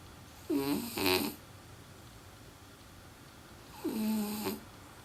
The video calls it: French Bulldog Chikuwa snores A LOT!